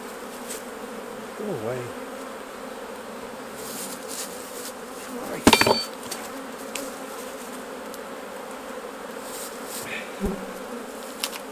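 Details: Hive honey bees during honey harvest, giving a continuous even buzzing drone. A short murmur of voice comes early, a sharp metallic clank lands midway, and faint knocks follow later.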